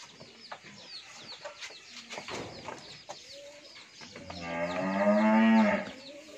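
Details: Fourteen-month-old pure Holstein Friesian heifer on a dairy farm in Bhangura, Pabna, Bangladesh, giving one loud drawn-out moo of about two seconds with a strong harmonic stack, preceded by chicken clucks and scattered farmyard noises.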